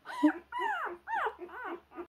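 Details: A puppy unable to find its way, crying in long drawn-out whimpers that swoop up and down, four or five sliding cries in about two seconds, loud and close.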